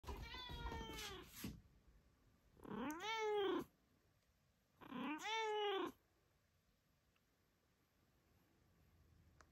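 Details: Small kitten giving a big meow: three loud, drawn-out meows, each rising then falling, about two seconds apart, followed by quiet room noise.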